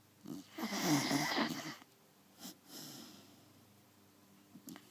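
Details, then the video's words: A Beagle snores in a small room: one long, rough, wheezing inhalation of about a second, then fainter short snuffles trailing off into near silence. "Snoring Beagle"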